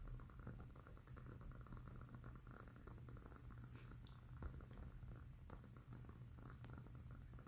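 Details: Quiet, steady purring from a house cat as it falls asleep, a deep pulsing rumble that never breaks, overlaid by scattered soft crackles and pops from a candle flame.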